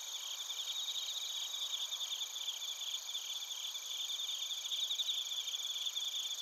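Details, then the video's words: Chorus of crickets and bell crickets in Narita, Chiba, Japan, captured with a TASCAM Portacapture X8: a soft, steady high-pitched trilling wash of many overlapping chirpers, with faint pulsing and no other sounds. "スズムシとコオロギの鳴き声 - Chirping of crickets"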